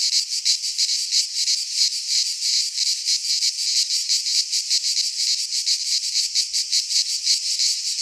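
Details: Greek pine-forest cicadas in midsummer produce a harsh, high sizzling drone that pulses in fast, slightly uneven waves, about three per second, with no birds, wind or voices.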